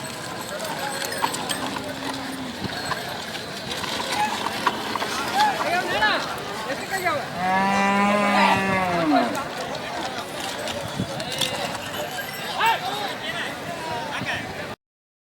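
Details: Bulls at the Haveri bulls market, held every Thursday morning: one long, low, steady moo lasting about two seconds stands out over constant crowd chatter and market bustle, with a fainter lowing a few seconds earlier.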